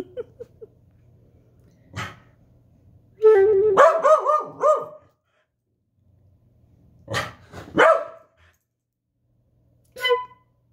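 A corgi answers a flute with a burst of wavering, yodel-like howls and sharp barks.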